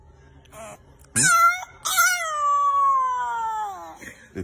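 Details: A newborn puppy abandoned on the street without its mother cries at the vet with a short sharp yelp, then a long, high, wavering wail sinking in pitch. It is weak, with harsh lung sounds and a cleft palate, and is possibly a swimmer pup.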